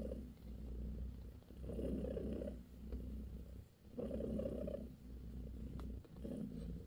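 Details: Bassy, a British shorthair cat with her kittens, purring steadily; a soft, rough rumble cycling between quieter and stronger breaths, three clear swells, over low background hum.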